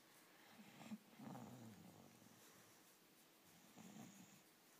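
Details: English bulldog at bedtime enjoying an ear rub, giving low, throaty snorting grunts in short bursts, with soft rubbing noises in a quiet room.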